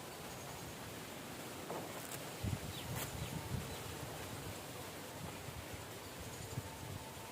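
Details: Hundreds of thousands of giant honey bees, rescued from a nest at a college hostel in Namakkal and released onto a garden tree in the morning: a steady, diffuse buzzing hum with a few rustling thumps and faint bird chirps.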